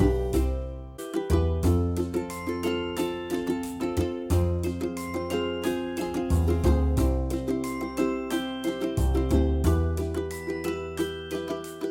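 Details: Bright plucked ukulele-style music with a steady strummed rhythm plays throughout, with no animal sounds.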